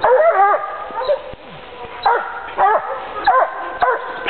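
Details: A hunting dog on a leash gives loud, tonal barks and yelps in quick bursts, roughly every half second, while tracking wild boar and reaching the boars' bedding site.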